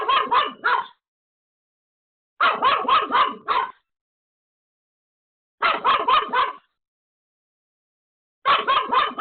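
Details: Pomeranian named Pomeko, home alone, barking frantically at a sudden visitor: sharp yapping bursts of four or five quick barks, each burst about a second long, separated by pauses of one to two seconds.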